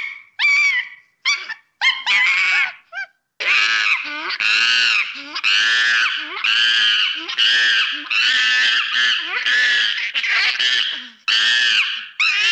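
A monkey gives loud, harsh, screeching calls in rapid repeated bursts.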